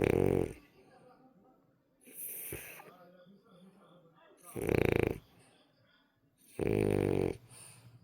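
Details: French Bulldog snoring in its sleep, a habit of the breed: four loud, harsh snorting breaths roughly every two seconds, each lasting about half a second, with softer wheezy breathing between.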